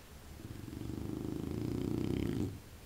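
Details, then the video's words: Candy, a pet dog called the chubby one, snoring indoors: one long, low, rattling breath with a fine pulsed texture, slowly swelling over about two and a half seconds before cutting off. "Candy roncando"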